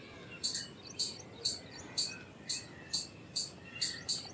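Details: Indian palm squirrel giving a run of about nine piercing, clipped chirps at an even pace of roughly two per second, over a light background hiss.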